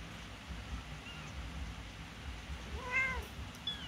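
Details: Newborn kittens about one week old, learning to walk; a brief thin meow early on, then a clearer rising-and-falling meow near the end, heard over steady background hiss.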